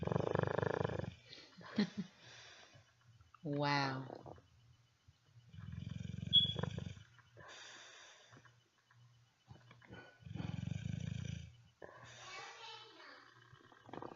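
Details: Sleeping Dogue de Bordeaux, a French Mastiff, snoring; the breed is said to snore a lot, even as puppies. Low rumbling snore bursts return every four to five seconds, with a man's voice talking between them.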